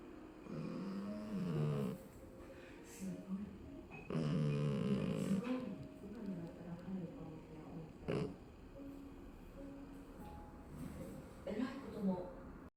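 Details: Exotic Shorthair cat named Udon snoring heavily, with another cat beside it, in a small room. Low, rough, rumbling snores come in uneven bursts of one to two seconds, louder around the middle, over a quiet indoor background.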